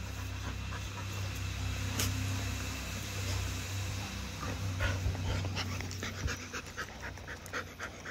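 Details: Pet Siberian Husky in Kerala, India, panting rapidly in quick, breathy, regular bursts of roughly four per second, with a steady low engine-like hum underneath.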